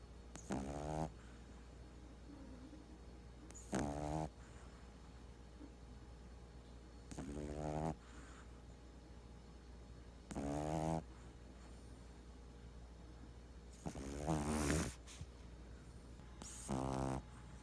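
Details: Boston Terrier asleep indoors, snoring and twitching in his sleep; six loud rasping snores with buzzy rattling harmonics, roughly every three seconds, with quiet breathing and a steady low hum between them.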